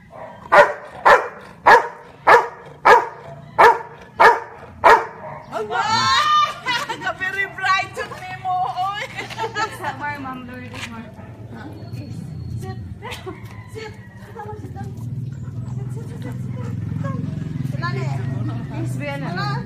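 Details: Marley, a Labrador Retriever, barks the number of fingers a woman holds up: seven sharp, evenly spaced barks about every 0.6 seconds over five seconds, then a woman talks excitedly amid a low background hum.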